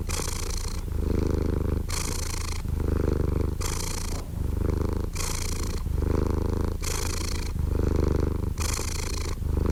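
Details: Steady, deep cat purr. Loud breathy hisses come in rhythmic phases roughly every second and a half, alternating with the softer rumbling buzz, and the pattern repeats evenly throughout in a calm, close recording.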